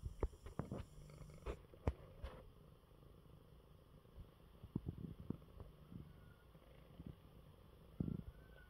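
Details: Coco, an ailing male cat, purrs contentedly in his bed after eating. A soft, even low purr is punctuated by several sharp taps and rustles at the start and near the end, with a quieter stretch between.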